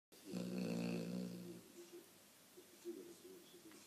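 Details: Cane Corso named Sonya snoring while asleep: one long, deep, droning snore lasting over a second, followed by soft, low breathing rasps.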